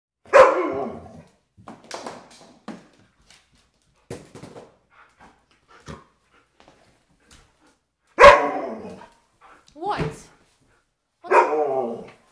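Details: German Shepherd Husky mix female dog, in heat and wearing a diaper indoors, 'talking': drawn-out harmonic moaning bursts at the start and again near eight, ten and eleven seconds, with soft grumbles between and quiet room sounds.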